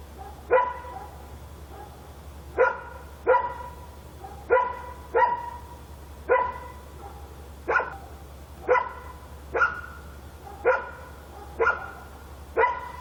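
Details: At night in Korea a dog barks steadily: about fourteen barks, mostly single, some in close pairs, repeating roughly every second over a constant low hum.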